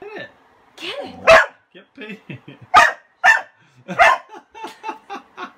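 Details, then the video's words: Kasa the dog, who hates the broom and wants his toy under it, gives a whiny moan, then bursts of loud sharp barks about once a second between softer yips and grumbles. "Kasa is Afraid of a Broom"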